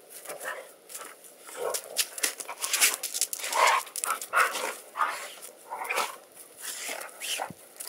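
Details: Two dogs, Jake and Lacy, play fighting while chasing each other around a yard; he is the loud one and she the quiet one, about 30 lbs apart. Rough growls and snarling bursts come in quick uneven succession throughout.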